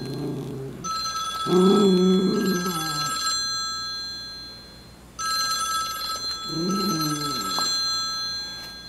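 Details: A Miniature Schnauzer gives low, wavering howls while playing with a puppet, over a steady electronic ringing tone.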